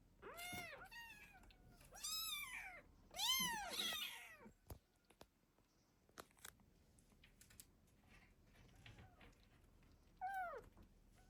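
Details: Protective mother cat with kittens gives three bright arching meows in quick succession, then quiet rustling and clicks before one final short mew.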